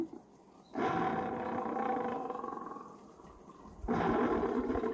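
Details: Recorded tiger roaring broadcast by a stationary farm deterrent device in Geochang, South Korea, at night against water deer and wild boar; one long rough roar swells and slowly fades, then a second loud roar starts abruptly.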